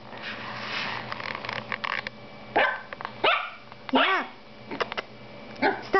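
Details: Female toy poodle puppy barking at her own reflection, seeing herself in a mirror for the first time; four short, sharp, high yaps in the second half, with a woman talking softly throughout.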